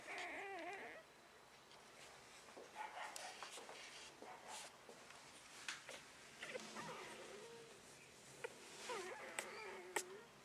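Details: Shiba Inu puppy from Hillock Snowy, recorded 6 April 2013, giving high, wavering whines with bright overtones at the start and again near the end, separated by scattered clicks and knocks.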